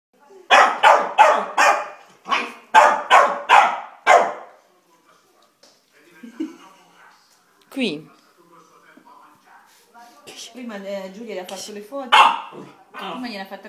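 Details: A Chow Chow barking at a Maltese: a rapid burst of about eight sharp barks, then quieter whines and mixed noises with human voices, and a few more barks near the end.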